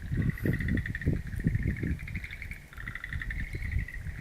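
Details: Wild-plant garden frogs, recorded April 11, 2013, giving bead-like pulsed calls in a continuous chorus at one steady pitch. A short dip near the middle, and low buffeting noise is strong in the first half.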